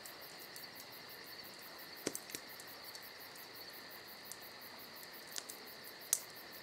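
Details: A continuous shrill cricket trill fills a summer night, overlaid by rapid fine pulsing, as campfire crackles break in with several small pops and a bright snap close to six seconds.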